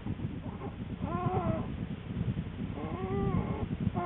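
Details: Den camera recording of Lily the American black bear on January 13, 2013, not long before her two cubs were born: two drawn-out, moaning, harmonic calls, each about half a second long, over a continuous low throbbing rumble.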